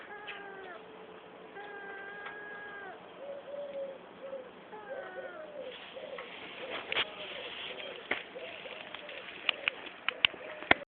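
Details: A pet cat beside its owner's Citroen C4 car gives three long, steady meows with slight falling ends, then a run of short, soft, repeated cooing notes over rising rustles and clicks.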